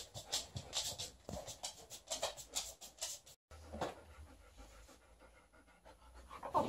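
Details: Liza, a female Alaskan Malamute, indoors during her shedding period, fights and plays with her old fish toy. Rapid, breathy panting comes in rhythmic bursts about every half second, then breaks off briefly before softer rustling and scuffling.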